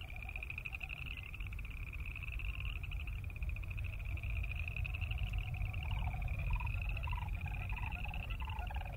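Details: Boreal chorus frogs trilling in a continuous high, pulsed creaking chorus. About halfway through, lower, blocky rattling calls from another animal join in, all over a deep background rumble.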